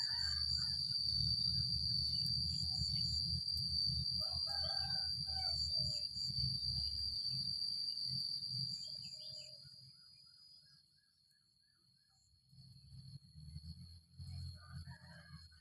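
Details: A high cicada whine runs steadily, then fades away after about ten seconds and partly returns. Rooster crows and brief bird calls break in, and a low rumble comes and goes.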